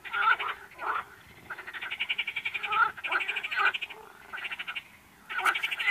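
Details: Frogs giving grating, pulsed croaks in uneven bursts, some short and some drawn out into rattling trains, with brief quiet gaps between the louder calls.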